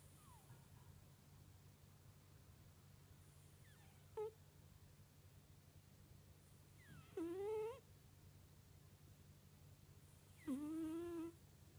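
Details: Sleeping domestic cat snoring with a soft "puu" sound: three squeaky whistled snores, each rising slightly in pitch, spaced roughly three seconds apart, over a steady low hum in a quiet room.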